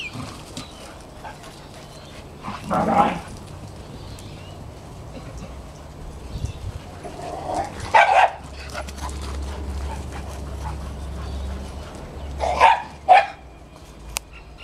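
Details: Dogs at play: Border Collie x Kelpie siblings Maddie and Flynn, French Bulldog x Staffy Stella, and white Terrier cross Mack; three short gruff barks or growls spaced several seconds apart over a low steady background hum.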